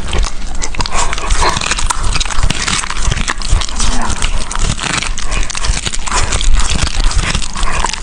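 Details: A dog eating, recorded up close: dense, crunchy chewing and biting clicks that come in quick irregular bursts, with wet smacking underneath and no other sounds.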